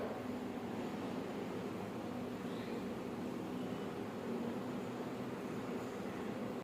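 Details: Steady broadband rumble like a passing vehicle or air-conditioning hum, with no meowing or other animal voice.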